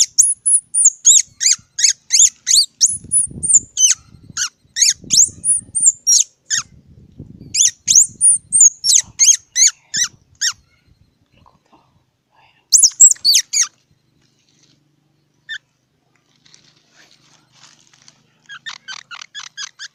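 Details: Squirrel. A squirrel calls with sharp, very high squeaks, delivered in fast runs of several chirps that pause and start again. Later the chirps grow fainter and more scattered before a final quick series.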